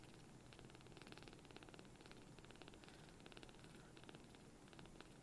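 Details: Newly rescued palm-sized kitten purring loudly as it cuddles up affectionately; a rapid, pulsing buzz repeats in quick bursts close to the microphone in a quiet room.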